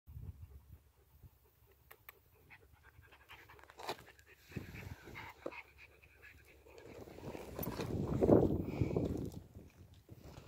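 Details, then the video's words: Pear-head Chihuahua panting, soft rapid breaths at about three to four per second, uneven in strength, swelling louder toward the end, with a few scattered clicks and rustles in the background. "Panting Chihuahua"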